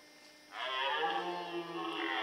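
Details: A red deer stag in the forêt de Chaux, Jura, near Dole, France, gives a deep, drawn-out, rough roar during the rut, with males fighting and hinds present.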